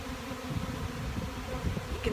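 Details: A dense, low drone of many western honey bees in a swarm being caught, flying around and crawling into a box, the swarming bees described as very gentle.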